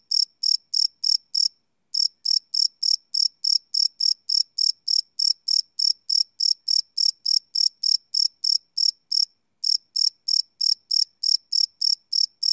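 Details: Crickets chirping at night, live field recording on a Sony PCM D100 without loops: rapid high-pitched chirps repeated around three times a second, broken by two brief silences, otherwise a clean background.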